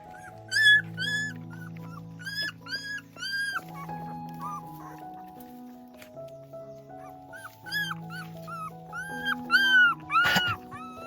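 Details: Puppies with their mother dog give high, thin whimpers and squeaks in short clustered bursts, each rising then falling, with louder yelps near the end, over steady background music.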